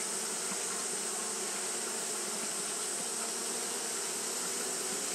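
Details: Japanese honey bees fanning continuously on a hot day: a steady, even droning hum with a broad hiss above it, no breaks or pauses, the whir of many wings blending into one unbroken sound.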